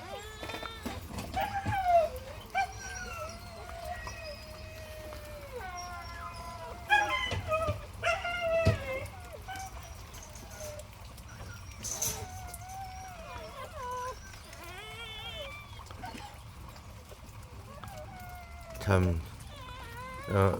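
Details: Puppies born today to the home dog Heukhyang, held warmly by their mother: a run of high, quavering whimpers and squeals, some short and falling, some drawn out, with clicks, rustling and faint music between them.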